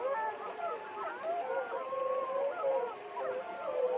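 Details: Several gray wolves of the Wapiti Pack, 13 seen in Yellowstone National Park one morning, howl together in a continuous chorus of wavering, sliding, overlapping tones.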